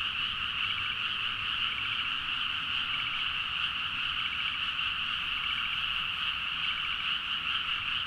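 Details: Frogs calling vigorously in rice paddies at midnight, Nagaoka, Niigata, Japan, Zoom H4n; a steady, loud blanket of trills and croaks, with brief rattling pulses from nearer frogs repeating every second or two.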